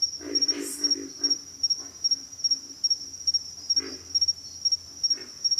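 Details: Rapid series of low, pig-like grunts from pig frogs, several in quick succession near the start, then isolated grunts, set against a continuous high-pitched pulsing insect drone.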